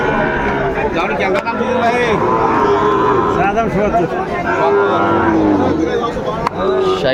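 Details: Sahiwal bull calves at a cattle market in Comilla, Bangladesh, on 6 July 2024; drawn-out lowing moos stand out over a dense din of talking buyers and sellers.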